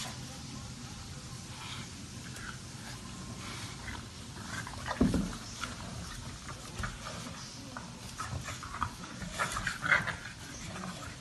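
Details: Low piggy grunts and snuffling snorts from an English Bulldog come in uneven bursts, loudest around the middle and end, over a steady background hum.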